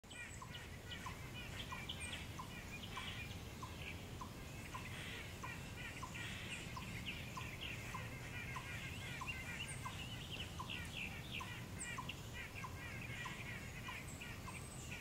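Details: A chipmunk in a yard, possibly barking with its mouth full, gives a steady run of short, sharp chips, about two each second, with birds twittering behind.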